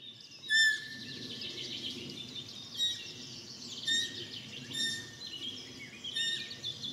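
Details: Newborn roe deer fawn only a few hours old, lying in grass after its mother left, giving short, sharp, high squeaks with bright overtones about once a second, over a dense chorus of birdsong.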